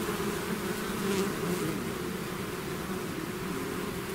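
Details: Honeybee swarm pouring out of its hive, a dense continuous buzz of many wings with steady low drone bands and no pauses, a thick humming wall of sound throughout.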